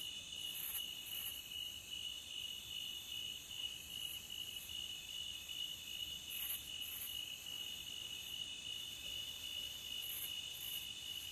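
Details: A steady high trill of crickets at the beach runs without pause. Sharp, higher double chirps break through at intervals of a few seconds. Gentle background noise.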